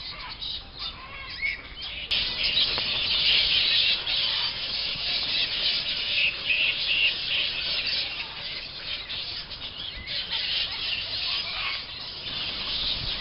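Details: A roosting colony of flying foxes at the Emerald Botanic Gardens, late afternoon, the bats becoming active and flitting between trees away from watchers; loud, constant high-pitched screeching and squabbling from many individuals, swelling after the first two seconds.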